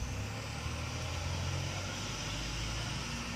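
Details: A steady rumble of road traffic and a running vehicle engine, with no animal voice. The low hum stays even throughout, with no calls or barks breaking through.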